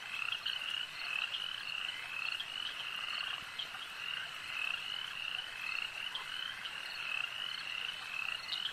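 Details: Frogs at a lake produce a constant rasping chorus of repeated short trills, loud and evenly layered throughout.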